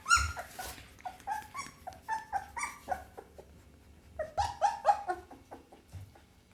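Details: Pit Bull puppy giving a rapid series of short, high, tonal whimpering yelps, some rising then falling, in two bursts separated by a brief pause near the middle, with faint low thumps beneath.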